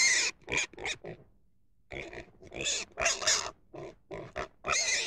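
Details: Pig making a rapid series of short grunting squeals, a brief pause, then more clustered harsh squeals and grunts of varying length, noisy and broadband.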